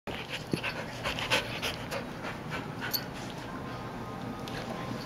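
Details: Border collie and a Siberian husky puppy named Sasha wrestling together; quick breathy panting with soft scuffling thumps and brief broadband bursts of play noise, a steady low hum underneath.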